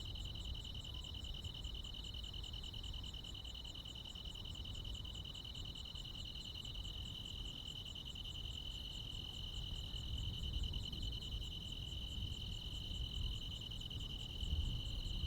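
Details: Countryside crickets with other insects on a midsummer night, a continuous dense high trill of fast pulses that never pauses, topped by faint ticking higher notes, with a soft low rumble beneath.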